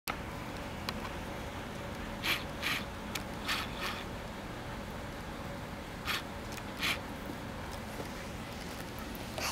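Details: A quiet indoor background with a low hum and scattered sharp clicks and rattles, and no clear voice.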